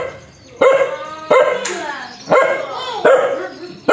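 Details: Aggressive dog letting out single loud barks roughly every three-quarters of a second, each sharp and ringing, with a quiet gap between them.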